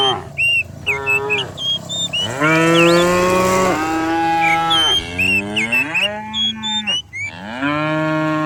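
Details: Dozens of cows herded down a hillside in the countryside in the morning, lowing in overlapping, drawn-out moos, some steady and some rising, almost without pause, while high chirping birds call above the herd.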